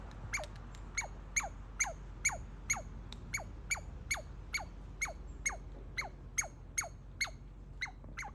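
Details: A baby squirrel, excited at seeing a familiar person and chewing a walnut under a deck railing, gives sharp, high squeaks that slide steeply downward, about twice a second.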